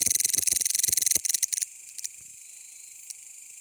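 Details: Mecopoda elongata, a bush cricket, chirping: a loud, dense high buzzing pulse train, rapid and fairly regular for about 1.6 seconds, then fading to a faint high hiss with a few isolated clicks.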